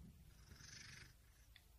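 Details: Domestic cat purring with a steady low rumble, and a soft whistling, breathy band of higher noise in the first second before it fades to the purr alone.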